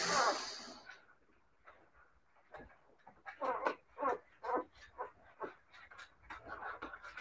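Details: Siberian Husky puppies whimpering softly after a loud opening burst, followed by a string of faint, short squeaky whines and yips spaced irregularly about every half second.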